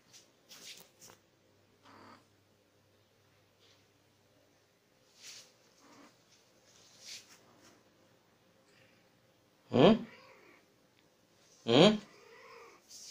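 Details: Female Persian cat in heat, ready to mate, indoors. Mostly quiet room with faint rustles and soft noises, then two loud, short, harmonic meowing cries about two seconds apart near the end.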